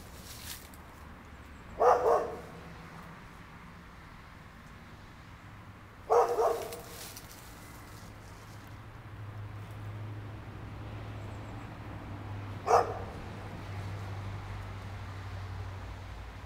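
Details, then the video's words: A neighbour's dog barking at a distance: three separate short, sharp barks a few seconds apart, with quiet gaps between them over a steady low background hum. "Neighbor Dog Noise"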